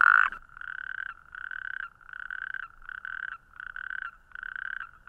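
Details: Natterjack toad calling: a loud, rapid, rattling trill given in repeated bursts of about half a second, evenly spaced with short gaps, steady in pitch throughout, over a quiet background.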